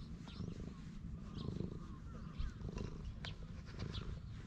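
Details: Stray cat lounging on a bench, purring while being stroked, filmed on a GoPro HERO8; a steady low rumbling throb fills the clip, with faint chirps above.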